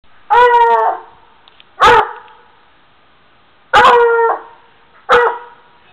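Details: A Black and Tan Coonhound bays after finding a stuffed raccoon in a tree: four loud, drawn-out, harmonic bawls, each about half a second to a second long, with short quiet gaps between them.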